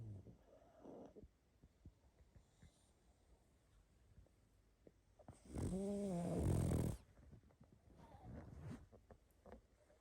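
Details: Sleeping pug snoring and snuffling: soft, rough breathing noises, then one loud, drawn-out snore of about a second and a half with a buzzing, tonal edge, then faint snuffles again.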